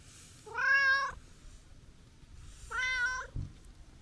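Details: Chatty, affectionate brown tabby-and-white stray cat visited for a New Year greeting, meowing twice in clear, loud, harmonic calls, each about half a second long with a slight arch in pitch, with a soft thump after the second.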